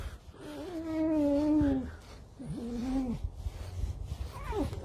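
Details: Red fox indoors while being brushed and handled: two drawn-out, slightly wavering nasal whines, the first about a second and a half long, then a short rising squeal, with a woman talking quietly to it.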